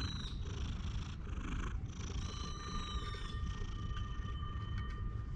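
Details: A park stray curled on a person's lap on a bench gives a steady, coarse low purr throughout, while birds whistle overhead and thin sustained tones run in the background.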